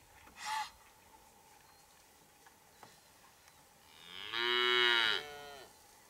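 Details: Breeding-season Hereford herd with a big bull courting and mating cows: a short muffled grunt, several seconds of near-quiet with faint taps, then one long, loud, rough bellowing moo that rises and fades.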